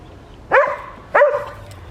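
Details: Winter morning in a village garden, Hoat Wala, South Punjab, Pakistan: a West Highland White Terrier called Adriano barks twice, loud and clear, about two-thirds of a second apart, with little else heard.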